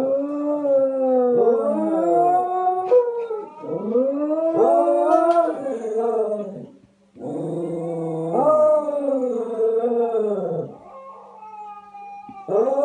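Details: West Highland White Terriers at breakfast singing: long wavering howls that rise and fall in pitch, in overlapping phrases with brief breaks, sometimes two voices at once.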